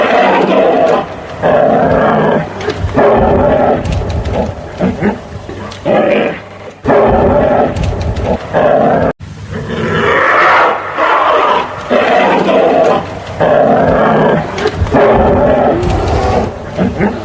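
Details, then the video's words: A long sequence of gruff, roaring bear vocalisations, each burst about one to two seconds, repeated irregularly, with short silences and a brief break midway. "Animal sounds - Bear"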